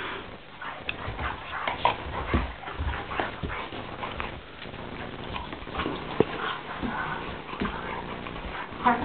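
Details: Doberman and Labrador, Ike and Cibo, fighting each other: soft whimpering and scuffling bursts run through the stretch, with a person's voice speaking briefly among them.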